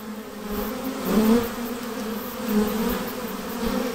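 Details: Hived honey bee swarm producing a thick, constant buzz, with a bee wobbling past close by and briefly sharpening the tone before the drone settles back.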